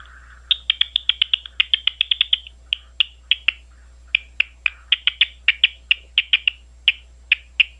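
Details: Big brown bats recorded in Ohio at Ohio State University, giving rapid trains of brief high chirps, clustered tightly then spaced out irregularly, with a soft lower buzz at the start.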